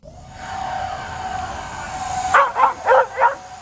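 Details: Dog reacting to a drone flying overhead, jumping up to get it; a steady mechanical whine fills the first two seconds, then four loud, sharp barks follow in quick succession over the drone's hum.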